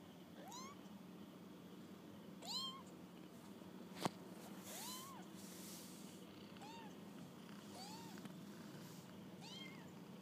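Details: Kittens on their first walk about, giving high, thin meows that rise and fall, repeated about every two seconds, with one sharp click midway and a steady low hum behind.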